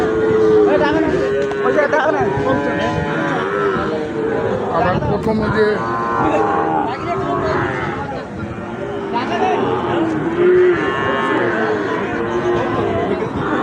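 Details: At Ambari market, where Sahiwal bull calves are traded on Fridays and Mondays, repeated mooing is heard. Several calls start high and slide downward, with a loud one near the start and another near the end. Crowd chatter continues underneath.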